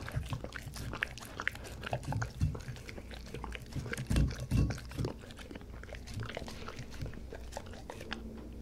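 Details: Close-miked dog mukbang of dog-safe bossam and kimchi plus duck cartilage and duck wings: irregular crunchy bites and wet chewing, with deep thuds of jaw and bowl around the middle of the stretch.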